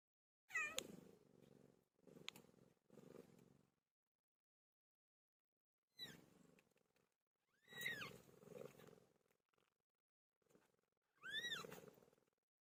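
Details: Cat PILO in labour: scattered short, arched mews with several noisy, breathy bursts between them, in clusters separated by quiet gaps.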